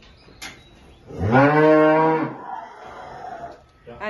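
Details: Holstein cows with calves at milking time in the countryside of El Salvador. A single drawn-out moo, about one second long, holds a steady, fairly low pitch, with a faint click before it and muffled farm noises after.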